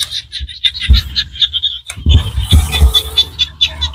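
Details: Small frogs in Cambodian rice-field countryside keep up a dense, high, rattling chorus of quick pulses, broken by a few soft low knocks and a brief pause near the middle.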